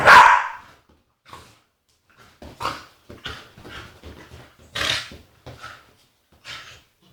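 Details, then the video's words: Agitated Staffordshire Bull Terrier female giving a loud sharp bark followed by quieter grumbling moans and whiny yelps spaced irregularly over several seconds. "Agitated Staffy makes funny noises"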